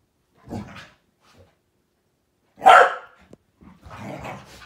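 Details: Malinois, Akita and Corgi at morning play; a soft grumble, then one sharp loud bark, followed by low growling and scuffling.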